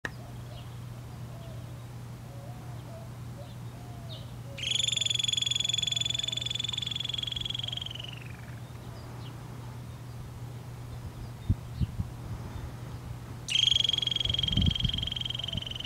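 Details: A cautious female Harris's antelope squirrel near burrow openings gives long, high, shrill trills over a steady low mechanical hum, 18 May 2023, Arizona-Sonora Desert Museum, Pima County, Arizona.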